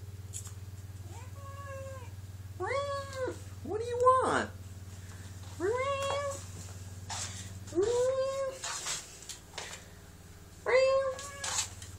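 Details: Domestic cats talking to each other indoors, one cat being held; a run of six arched meows, two close together near the middle, with a brief spoken word and a steady low hum.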